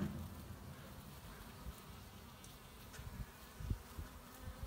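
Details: Honey bees foraging for pollen in March 2018 give a continuous low hum, with a sharp close fly-by about two-thirds through and softer passes around it.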